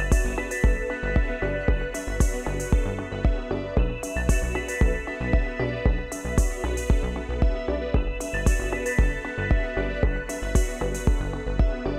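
Steady electronic music with a regular beat and synth chords, with no animal sound.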